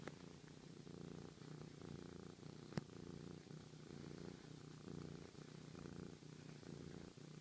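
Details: Sochi the cat, a real rumble machine, purrs affectionately: deep steady drone with gentle rhythmic swells about once per second, interrupted by a single sharp tap partway through.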